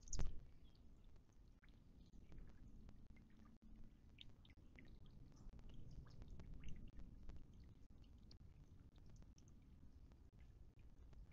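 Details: Ground squirrel nibbling corn stolen from a salad on 4 December: a steady scatter of soft, dry clicks and crunches over a low rumbling background, opening with one sharper knock.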